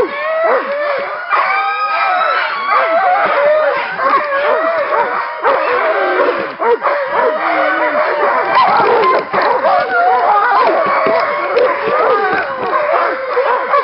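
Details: Excited chorus of Alaskan Malamutes at a working kennel, February 2012, around a short run: dense overlapping howls, warbling yodels and sharp yelps, unbroken throughout.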